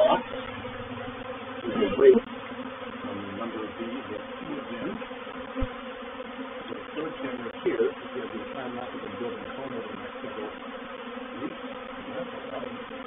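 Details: Honey bee reproductive swarm moving into a bait hive, or swarm trap, at Painted Peacock Manor on 4 July 2021: a steady, dense hum of many bees with layered droning tones and a few brief louder bumps near the hive.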